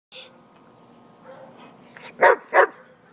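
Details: German Shepherd kept as a pet barking twice in quick succession near the end, short sharp woofs about a third of a second apart, after a person gives commands; faint household background hum.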